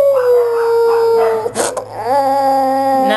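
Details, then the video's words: Maltese dog after six months in British quarantine, said to be saying "Nam", Arabic for yes: a long tonal whine gliding slightly down, a brief noisy burst, then a rising, steady harmonic wail. "the talking Maltese dog"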